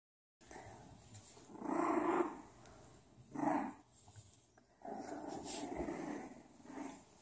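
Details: Bulldog puppies growling in three bursts, low rumbling with brief higher whines, separated by short quiet gaps; faint background hiss.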